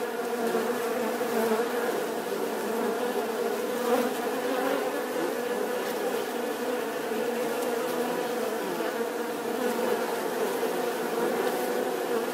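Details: Continuous bee buzz, an even, thick hum of overlapping tones that holds steady throughout without pauses.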